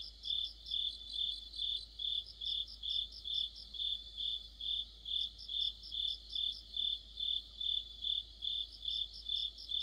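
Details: Autumn insect chorus led by crickets under a streetlamp: bright, high trilled chirps repeated evenly, over two pulses a second, with fainter insect voices layered above.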